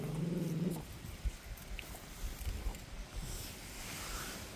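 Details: Central Asian Shepherd Dog (Alabai) puppies: a short, low, rumbling growl in the first second, then quiet background noise with faint knocks.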